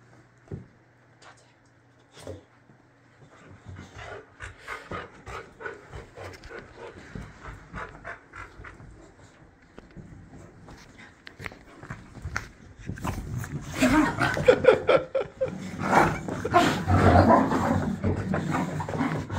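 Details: Boxer dog Layla in a tantrum indoors, first huffing in quick breathy pulses, over two a second, then building into loud, dense grumbling, moaning vocal bursts in the second half.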